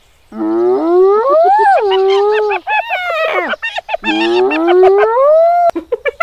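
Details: Hyenas in Kruger National Park, South Africa, giving two long, loud whooping calls that rise steadily from low to high pitch with rich harmonics, each about two seconds, separated by brief broken yelps.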